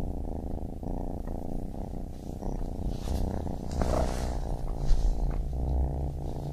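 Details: Baby kitten purring in a steady low rumble with a rough, pulsing texture that swells and fades with each breath; a few soft higher rustles appear near the middle.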